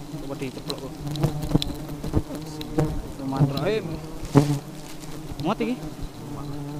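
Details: Very aggressive honey bees: a dense, continuous low buzz with rising and falling whines from single bees passing near, plus scattered taps and clicks.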